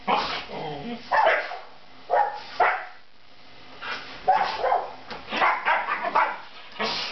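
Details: Siberian Huskies in bed at home, giving a string of varied, talkative yowls and short barky bursts in uneven clusters, with brief pauses between.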